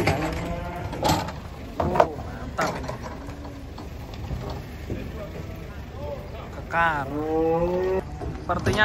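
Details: Cattle being unloaded from a truck; near the end one long, drawn-out moo swells and bends in pitch, while men chatter and call out over clanks and low vehicle rumble.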